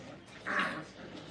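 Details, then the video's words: Brittany puppy, about five weeks old, indoors among littermates during crate training: one short high whimper, a brief tonal whine lasting under half a second over quiet room noise. "Puppy crate 5 weeks"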